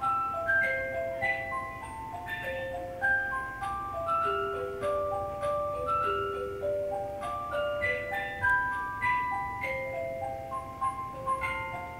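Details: A slow music-box melody of clear chiming notes stepping up and down over a faint background hiss, with no animal sound.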